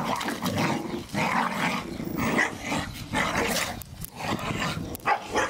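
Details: Staffordshire Bull Terriers at play in the garden with their Christmas balls, giving throaty growls and gruff huffs in quick uneven bursts, roughly one a second, over constant rustling movement.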